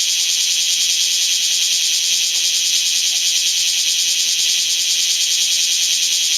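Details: Bear cicadas, several individuals, singing in a lull between showers while Typhoon No. 12's strong winds blow; an unbroken, intense high buzz with fast rhythmic pulsing throughout.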